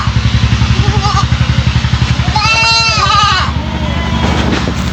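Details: A three-month-old goat kid known for its unusual voice gives a single quavering, wavering bleat of about a second, with a loud pulsing engine-like drone beneath it throughout.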